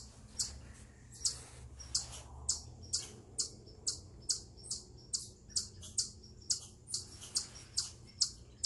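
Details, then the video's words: Stress call of an eastern chipmunk on a rock: a regular train of sharp, high-pitched chips, about two per second, loud and clear over quiet surroundings. "Eastern Chipmunk Vocalizing Upon A Rock"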